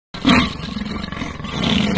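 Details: Male and female leopard fighting in a tree: a sudden loud rasping roar bursts out, then drops into a rough, sustained low growl that swells again toward the end.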